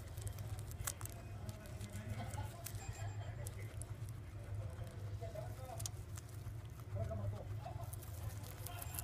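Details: Guinea pig Po-san eating mizuna, its favourite food lately, with crisp crackling bites scattered through the clip as sharp, irregular clicks over a steady low hum.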